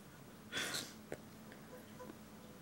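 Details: Alessandro, a pet cat, squealing in displeasure after being given ear medication: one short, shrill, strained squeal lasting about a third of a second, followed by a faint click and then quiet indoor stillness.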